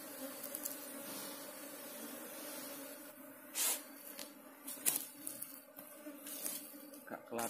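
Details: A ground-nesting Apis cerana colony being taken from its hole, giving a steady low droning buzz under repeated scraping, tapping and rustling noises of digging that grow louder in the second half.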